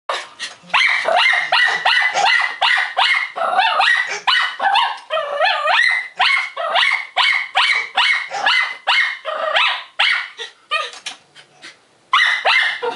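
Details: Maltese dog barking excitedly indoors at a barking dog shown on TV or computer: rapid high-pitched yaps, more than two per second, with a few whiny yelps mixed in, nearly continuous, before a brief pause and a final burst.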